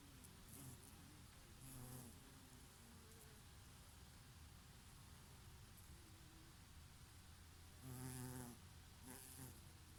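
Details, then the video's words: Bees grazing on oregano flowers in summer, with an occasional bumblebee, under a summer breeze; a low steady hum, with louder harmonic buzzing passes around two seconds and again near eight seconds. "Peaceful sound of the summer breeze and of the Bees and here and there a bumblebee"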